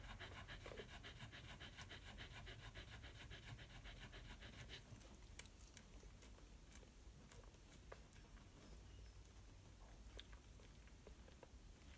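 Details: Miniature Australian Shepherd mother Snowleaf's Daylight suckling eight puppies on their first day of life; rapid rhythmic panting fills the opening five seconds, then fades to quiet with scattered small clicks and rustles.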